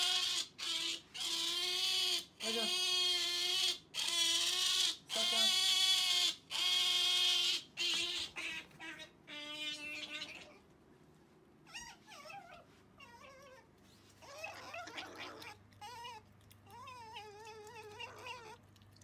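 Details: Sakura, a female pet otter, wanting jerky: loud harmonic squealing calls repeated in quick bursts for ten seconds, then softer, wavering squeaks and chirps with faint indoor background.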